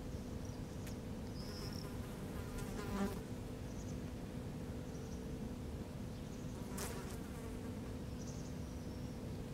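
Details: In Helsinki, Finland, July 2013, a wasp scavenging on a feral European rabbit carcass produces an unbroken low drone, with faint distant bird notes and a couple of brief sharp clicks.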